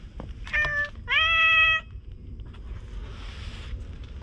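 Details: Stray cats at a fishing spot under open blue sea and sky, filmed on a GoPro: two loud, clear meows back to back, the second longer and steady with rich harmonics, over low rumbling background noise and a soft hiss afterwards.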